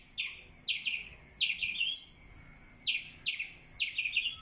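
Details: Squirrel chirping with shrill, slightly downslurred notes in quick doublets and triplets. Groups are separated by brief silences, including a longer pause midway, over soft background hiss.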